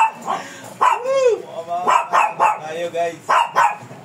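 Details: A fierce Shih Tzu being groomed barks repeatedly in uneven bursts, one drawn into a rising and falling whine, while a person talks nearby.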